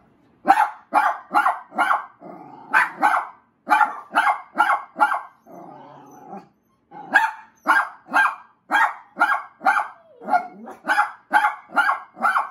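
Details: Puppies barking at a stuffed Yorkie toy, recorded March 22, 2021: rapid, sharp, high-pitched barks in quick runs of about two per second, with brief growling and whining in the gaps.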